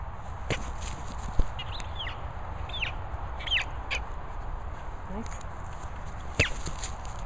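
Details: Two Border Collie puppies, Pippin and Sam, squeaking: several short, high, arching squeaks in the middle of the clip and another near the end, over a steady background hiss.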